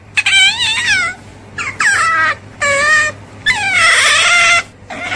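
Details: Otter calling with loud, harmonic squeals, each about a second long, some bending downward and others wavering, in five bursts separated by short pauses; faint steady low hum underneath.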